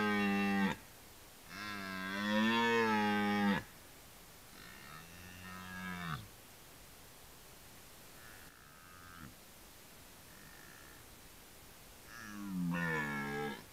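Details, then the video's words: Red deer in the rut roaring repeatedly: a short bellow, a long two-second roar, then shorter, fainter grunting roars and a final loud one, with quiet gaps between. "Rykowisko / Deer rut"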